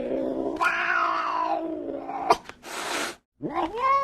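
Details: Angry cat: a long, wavering, moaning yowl with stacked overtones, a sharp click, then a half-second rushing hiss burst, a brief silence, and a final rising, whining yowl.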